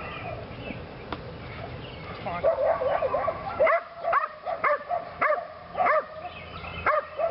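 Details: Belgian Malinois named Lily, a female in PSA bite training, working on leg sleeves for her second time; after a murmur of background voices, short arched barks ring out roughly twice a second, some doubled.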